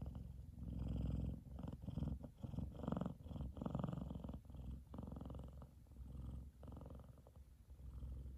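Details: F2 Savannah cat Kumba purrs loudly, fast asleep and happy under his brother Taj lying on his head; a strong rumbling purr with choppy, uneven pulses and brief breaks between breaths throughout.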